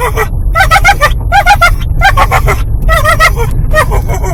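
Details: Dog Eddie, excited as the car drives up the owner's parents' driveway, makes rapid pulsing yips and whines in clustered bursts of three or four, over a steady low hum of the vehicle engine.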